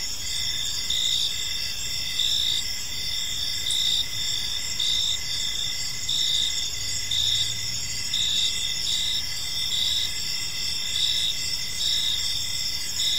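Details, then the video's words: A chorus of crickets fills a park in the evening, continuous high-pitched trilling and rhythmic chirps pulsing steadily, with a soft low hum and a brief deep rumble midway. "Park Serenade: Cricket Sounds in a Peaceful Park | Evening Ambience"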